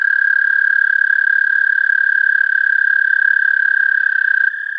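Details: American toad song picked up through an amplified mono parabolic microphone connected to a DSLR camera: a steady, high, musical trill held for about four and a half seconds, dipping slightly in pitch and volume just before the end.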